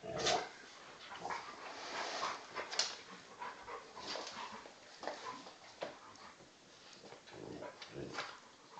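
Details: During a play fight between a young 10 kg Old English Bulldog and a much larger 40 kg Bullmastiff-cross male, quick huffs, snorts and brief whiny yips repeat irregularly over constant scuffling and thumping.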